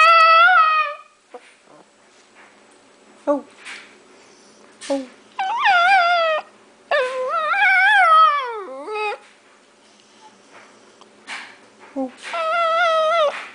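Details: Paco the dog sings in short bursts: brief wavering howls and yips, some sliding sharply downward, separated by quiet gaps with faint background sounds.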